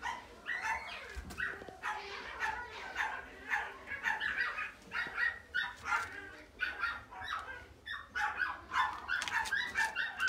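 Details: Long-haired miniature dachshund puppy, a silver dapple female born April 2018, giving rapid high yaps and whimpery barks in irregular bursts through the clip, with faint background noise.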